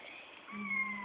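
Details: A Bengal kitten, one of two pets kept indoors, gives a short, steady, tonal meow lasting about half a second, with faint voices before it.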